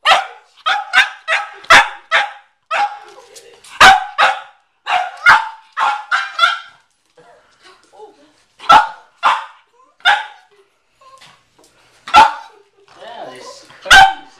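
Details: Cavalier King Charles Spaniel McCartney barking at a watermelon in the garage; a fast opening volley of barks, then sparser single barks with quieter gaps and faint background noise.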